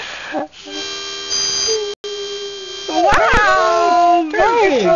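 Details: A Basset Hound living with a musical family howls along with a steady pitch-pipe tone, learning to match pitch, its wavering voice mostly sliding down to the played note, matching it exactly once.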